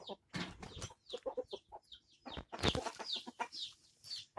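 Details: Gamecock on 22 January 2022 giving a broken series of short clucks and grunts, with a sharp loud knock midway and high chirping birds in the background.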